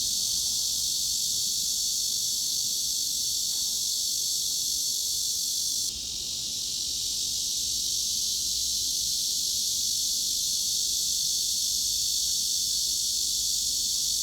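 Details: Mid-frequency cicada sound used to mask tinnitus: a continuous shrill buzz held at an even level, briefly dipping in loudness and brightness near the middle before resuming its steady drone; nothing else audible.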